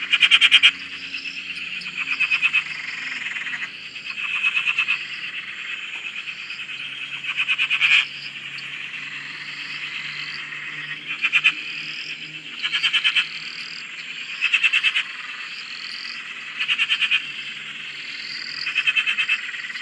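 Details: Chorus of frogs at a farm dam in Australia: continuous buzzing trills layered with short upward-sliding chirps, punctuated by loud rattling pulse bursts roughly every two seconds.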